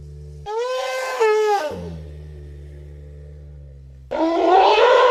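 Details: Elephant sounds: a low hum, then a blaring trumpet blast lasting about a second. A deep rumbling drone follows, then a rougher, noisier trumpet breaks out near the end.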